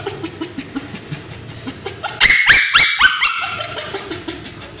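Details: Male Bichon Frise being treated for scabies on his tail; soft low whimpers at first, then a sudden loud shrill burst of screaming yelps that tails off into whines.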